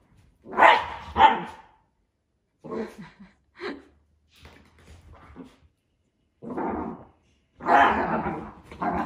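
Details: Miniature Dachshunds react to rain. One gives two hard, ringing barks, then quieter, broken yips and grumbles, and more rough, full-throated barks near the end.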